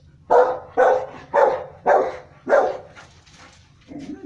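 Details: Rottweiler giving a steady run of five deep, harsh barks about half a second apart, followed by softer, quieter sounds at the end.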